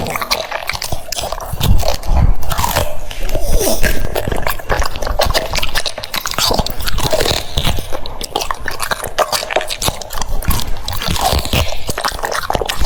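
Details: Steady cucumber crunching from a French Bulldog at mealtime, dense bites and smacking chews repeating rapidly, loud and close, with occasional soft background voice.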